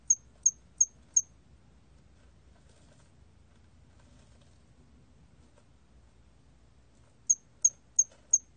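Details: Hairy cricket from a 2020 national collection giving a run of four sharp, high chirps, then about six seconds of near silence before another group of four at the same quick, even rate.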